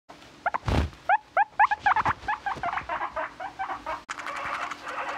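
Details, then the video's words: A guinea pig gives a rapid run of short, rising squeaks, about four a second, then a busier, blurred burst of chatter; a single thump is heard early on. "Rooster noises"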